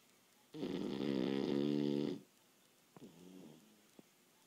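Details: A Boston Terrier napping after a long day of playing and running snores loudly, one long raspy harmonic-rich breath over a second, then after a pause a quieter, lower snore with a couple of small clicks.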